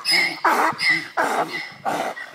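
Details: Fighting donkeys met outdoors on a walk, braying in a loud seesaw: clear tonal high wheezes alternate with harsher, noisier bursts, about three hee-haw cycles in quick succession.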